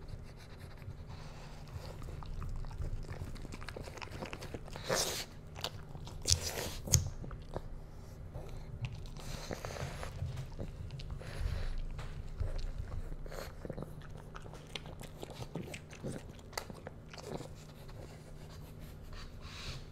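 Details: Pug puppy Bowser tasting dog-safe foods indoors, giving funny sniffs and noises: bursts of crunching and biting, chewing and snuffling sounds scattered irregularly, with a few sharper louder crunches in the middle, over a low indoor hum.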